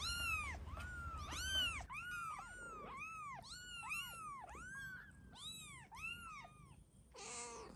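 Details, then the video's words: Kittens meowing, several high arched meows overlapping and following in quick irregular succession, each rising then falling, with a faint low hum underneath and a short noisy burst at the end. "Kittens meowing"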